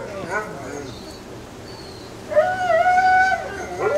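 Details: Alaskan Malamute puppies, 26 days old, visited at a kennel on 20 September 2009; a short wavering howl rises and holds steady near the end after a quieter stretch, with faint earlier yelps.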